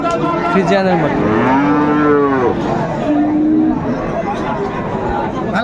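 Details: Friesian and crossbred bull calves at Raniganj livestock market in Dinajpur, recorded 2 May 2024: drawn-out, arching moos, one long bellow swelling then falling, over steady crowd murmur and market bustle.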